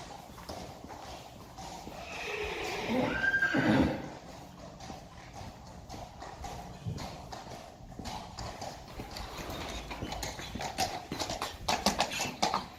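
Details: Friesian horses, a pair in harness before a carriage, trotting through water in June 2019: a brief, rough neigh bursts out midway over steady, rapid hoofbeats and splashing.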